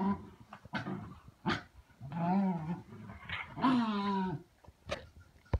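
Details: Lucy Ruby, a Lakeland Terrier keen to get the rabbit, lets out throaty growling whines that rise and fall, with sharp short yips and clicks between the longer moaning calls.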